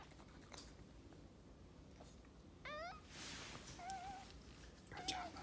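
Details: Maltese dog indoors giving birth to her second puppy, litter of three: one female, two males. A few thin, high whining cries, one with stepped rising harmonics, others short wavering squeals, spaced over several seconds amid rustling and a soft hiss.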